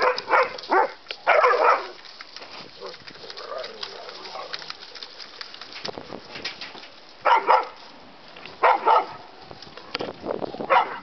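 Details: Terrier mix and bulldog learning to play: scattered short, harsh barks and grumbles, several spaced seconds apart, with low rustling and scuffling in the pauses.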